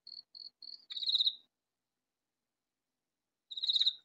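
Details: Vegetable-garden katydid, calling loudly though never found: three light ticks lead into a strident raspy burst. Two seconds of quiet follow before another harsh burst starts.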